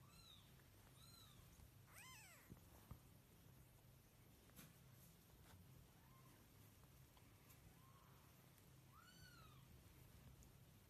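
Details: Cat producing several brief, high, arched mews in small bursts, quiet against a constant low droning hum, with a few faint clicks between calls.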